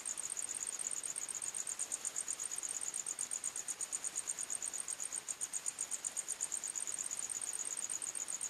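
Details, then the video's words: Cricket chirping in a nighttime forest, a shrill, very high trill of rapid pulses roughly three per second that continues evenly without pause, over a soft background hiss. "45 Minutes Criket Sounds"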